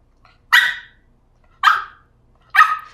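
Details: Stuck on a ledge, a West Highland White Terrier cries for help with three loud, sharp yelping barks spaced roughly a second apart, each bright and abrupt with a quick fading tail; a person speaks coaxingly around it.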